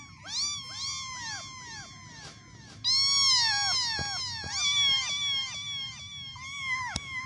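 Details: Kittens mewing, with several high, thin calls overlapping. Each call arches up and then slides down, and they come in quick succession for about seven seconds over a low background rumble.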